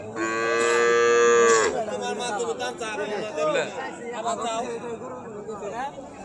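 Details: Cattle at the Napte Char cattle market: a loud, drawn-out harmonic moo lasting about a second and a half, holding steady then breaking off, followed by men bargaining over a price amid crowd chatter.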